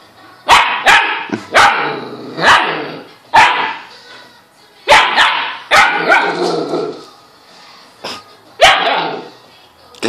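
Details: A pet dog, frightened by a laptop, barks in loud, harsh bursts, often in quick pairs, spread over about ten seconds with short quiet gaps between volleys; a faint hum sits in the background.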